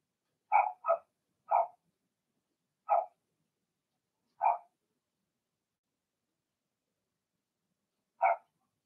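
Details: Indoor pen of Blenheim Cavalier King Charles Spaniel puppies: a quick burst of three yapping barks, then two spaced ones, a pause, and a final bark, all against silence.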